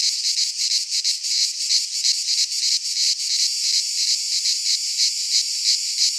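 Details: In midsummer, cicadas of the Greek fauna fill a pine forest with a sharp, hissing drone that beats in regular rapid pulses, roughly three per second, without letup.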